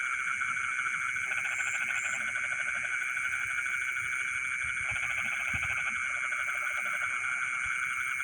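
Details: Frogs calling in rice fields in the middle of the night: rattling, pulsed croak bursts, each about a second long, repeat against a steady, shrill insect drone with high chirps.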